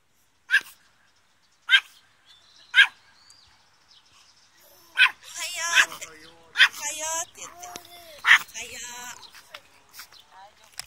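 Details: Pet Chihuahua recorded on May 28: sharp, high single barks spaced about a second apart, then a human voice talking between further yaps.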